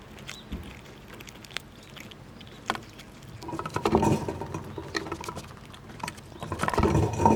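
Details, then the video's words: Several wild squirrels eating nuts outdoors in cold winter weather, jostling one another; soft scattered crackles at first, then a denser burst of crunching and gnawing midway and again near the end, with low rumbling background. "Squirrels Eating And Making BIG Sounds! 12 Minutes of Eating Nuts and Pushing Each Other Around!"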